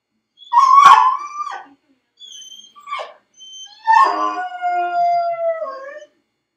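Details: Felix, a dog crated alone at home, lets out a loud bark that slides into a sustained howl, then short yips, then a long wavering howl falling in pitch over about two seconds.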